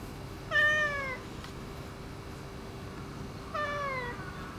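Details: Neutered ginger tabby boss cat, more affectionate since neutering, gives two clear falling meows about three seconds apart over a steady low hum.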